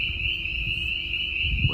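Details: At night in spring in the Ozarks, a dense spring peeper (Pseudacris crucifer) chorus with some boreal chorus frogs mixed in forms a steady, high ringing tone over a low rumble of rain.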